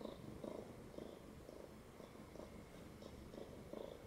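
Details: A pet cat that has jumped up onto a lap, purring indoors: a steady low rumble that swells in soft pulses roughly twice a second, with faint rustling around it.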